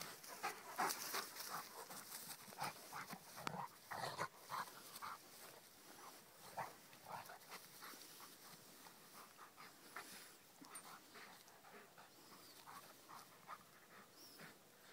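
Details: Rhodesian Ridgeback Kheelo playing with his friend Triton. Rapid, uneven panting of nearly three breaths a second, loudest at the start, with scattered snorts and brief whiny notes that fade toward the end.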